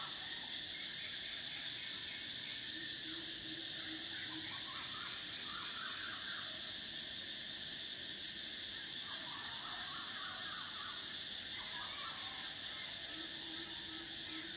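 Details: Cicadas singing in summer: an intense high buzz that breaks off briefly and resumes several times, layered over a busy lower chorus of rapid chirps and a faint hum.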